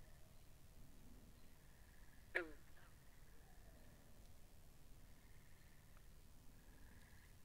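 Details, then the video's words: Binaural ambience of frogs beside a pond: a single sharp, downward-sweeping call stands out midway, surrounded by faint, high, pulsing trills and a quiet low background drone. "Two Hours Of Frogs By The Pond"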